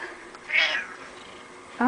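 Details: Domestic cat letting out a brief, high, squeaky meow, then the start of a louder meow at the end. Faint human talk sits in the background.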